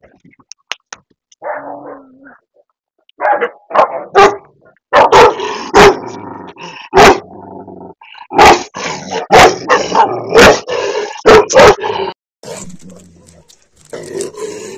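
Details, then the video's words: Aggressive Tibetan mastiff barking: loud, harsh bark bursts come in quick clusters after a quieter opening with short sounds, with some gaps between volleys and softer rumbling noises near the end. "aggressive Tibetan mastiff Dog"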